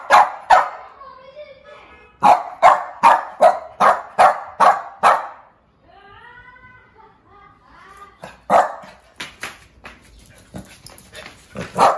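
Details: Loud, angry barks from a female Shih Tzu aged one year: a fast run of punchy barks, a pause filled with a wavering whine-like sound, then more spaced barks resuming toward the end.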